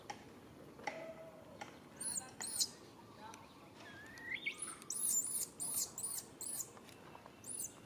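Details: Baby monkey calling its mother for help: high, thin squeals that arch up and down, in bursts from about two seconds on and clustered toward the end, with one lower rising whine near the middle, over steady background hiss.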